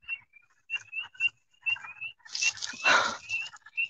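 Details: Spring Peeper. A chorus of spring peepers calls steadily, each frog giving a bright, piercing peep that slides slightly upward. A person's voice cuts in briefly partway through, over the ongoing chorus.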